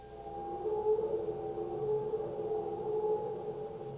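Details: A humpback whale (Megaptera novaeangliae) sings a long, steady, mid-pitched moan with gentle wavering and rich overtones, part of its song.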